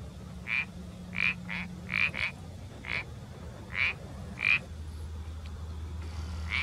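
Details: An Iberian parsley frog gives short, separate creaky notes, roughly one every half second to second, against quiet background hum.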